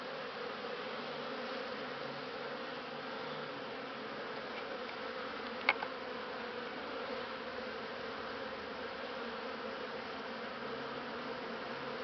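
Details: Humming of honey bees captured on Christmas Eve 2015, in December, as a continuous smooth drone of unchanging loudness with a single click partway through.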